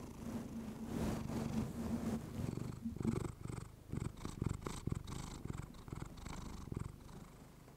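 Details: Female pet cat purring into a fluffy microphone, a low rumbling purr at first, then overtaken by crackling rustles and scratchy brushing noises against the mic.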